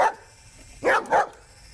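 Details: Male German Shepherd dog barking at a toy snake: after a near-quiet stretch, two short, loud, gruff barks come about a third of a second apart.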